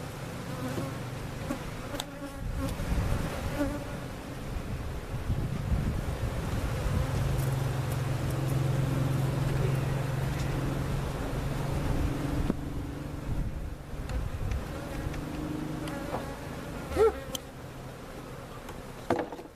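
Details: Honey bees from a giant hive cutout being placed in their permanent location at Jerome Bee Farm in Central Oklahoma; a steady, low droning hum holds throughout, swelling in the middle, with a few faint knocks and handling sounds.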